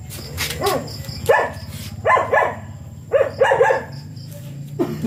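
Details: Siberian Husky during a stud session in which both dam and sire mate for the first time. Short harmonic whining yelps come in bursts roughly once a second, some doubled, over a steady low hum and a faint high chirping.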